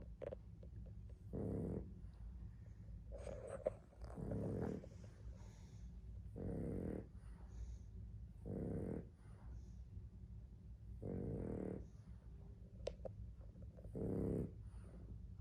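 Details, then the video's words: Sleeping Boston Terrier snoring: rough, throaty snores roughly every two seconds, each under a second long, over a constant low rumble of breathing, with faint higher clicks and rustles now and then. "Odie snores…… zzzzzzz"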